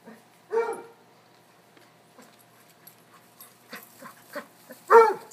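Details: A cocker-hound, a Basset and a corgi chase one another in play by a river. Two short, isolated barks, one near the start and one near the end, with faint rustling and quiet sounds in between.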